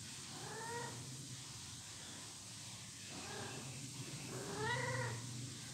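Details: Kittens playing and play-fighting on a slippery marble floor, three short soft meows spaced a couple of seconds apart, rising then falling, over a steady background hum and hiss.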